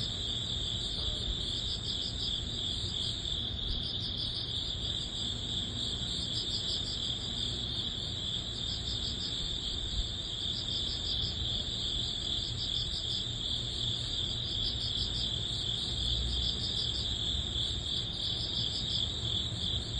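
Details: Crickets and other grass insects of early autumn, at summer's end, chirp steadily in a high, pulsing chorus that never pauses, over a low background rumble.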